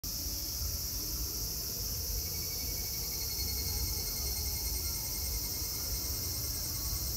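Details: Cicadas at Meiji Shrine, Tokyo, Japan, recorded 25 August 2018: a dense, unbroken high hissing drone that holds steady throughout, over low rumbling background noise.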